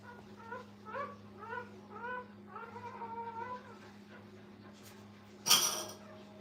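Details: Brittany puppies with their mother at a kennel, high thin whines rising and falling, repeated about every half second, then a sharp clatter near the end over a steady electrical hum.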